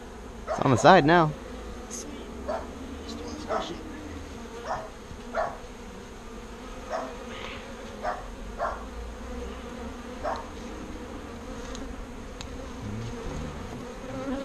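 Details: Bees being moved by hand from a birdhouse into a bee box: a steady low droning hum runs throughout, broken by a loud harmonic burst near the start and a string of sharp knocks and clatters from the handling.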